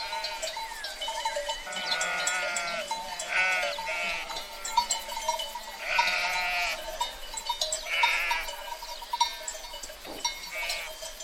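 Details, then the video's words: Sheep herd bleating: several wavering, harmonic-rich bleats rise and fall at about 3.5, 6 and 8 seconds, with quieter bleats between, over steady ringing tones and a soft rustling background. "Free Sheep Herd Sound Effect"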